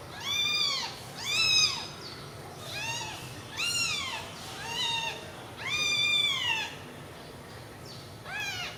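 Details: Newborn kittens bunched together call in a steady series of high, thin meows, each arched and clear, repeating roughly every second with little else in the background.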